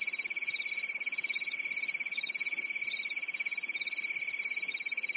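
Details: On a quiet European summer night, crickets in woodland keep up a nonstop shrill chorus, fast pulses layered over a sustained high tone, steady and even for the whole stretch.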